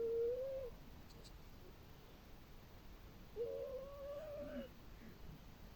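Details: Domestic cat snoring while sleeping beside its companion cat, the pair always sleeping together indoors; a soft, steady nasal whistle rising slightly, heard twice, once briefly at the start and again for about a second later, over a quiet background.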